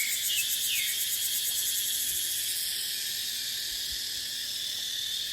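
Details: Shrill, unbroken cicada drone with quick pulsing fills dry-season dipterocarp forest; two brief sliding bird chirps sound near the start.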